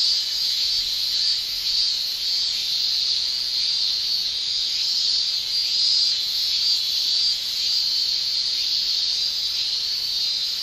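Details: Male cicadas of a Japanese summer keep up a loud, high, droning shrill with gentle rhythmic swells every second or so, and no other clear sounds.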